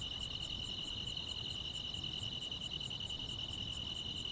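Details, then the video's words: Chirring of grass insects on a still summer night in the countryside: a steady high trill runs without pause while very high clicks recur about every 0.7 seconds, over quiet low background noise. "여름밤의 포근한 풀벌레 소리"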